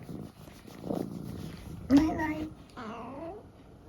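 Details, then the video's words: Indoors in the UK, Eric, an opinionated 14-year-old tabby, answers with a short level meow followed by a bending, rising-then-falling meow over low room hum and faint human speech. "A series of random conversations with Eric the cat"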